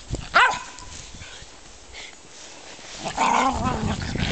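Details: Playing German Spitz Mittelspitz dogs: one sharp yip-bark, a quiet pause, then a drawn-out whining growl with overlapping yelps.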